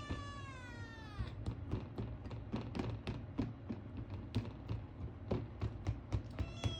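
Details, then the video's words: Male Ragamuffin kitten, indoors, asking for food: a drawn-out descending meow with clear harmonics, then a long run of rapid clicks and taps about four per second, ending in a short rising mew. "ごはんが欲しくて変な鳴き声をあげる子猫 / A kitten makes strange noises asking for food"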